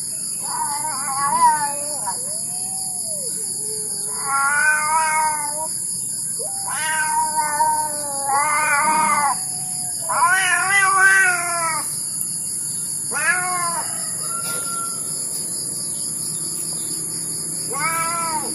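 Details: Indonesian village cat, a kampung cat, outside in front of a house, giving a series of drawn-out harmonic meows, some rising then falling, about seven calls spread across the stretch, with steady high-pitched background hiss.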